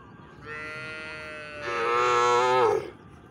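A cow gives a single drawn-out moo, steady at first, then swelling louder before it cuts off.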